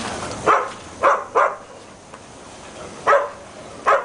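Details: Reggie, a dog playing in the pool at BARK ATL, gives five sharp barks in two pairs and a single, spaced irregularly over four seconds, with quiet splashy background between them.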